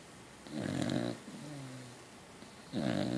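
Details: Sleeping Beagle-Cocker Spaniel cross Norby, called a Beacock, gives a rough rattling snore, then a low droning whistle on the out-breath before the next harsh intake begins.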